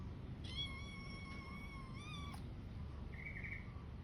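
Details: Domestic cat grooming its fur indoors: a drawn-out, steady meow lasting about two seconds, rich in harmonics and ending with a slight upward bend, then a short soft chirp near the end over a low background hum.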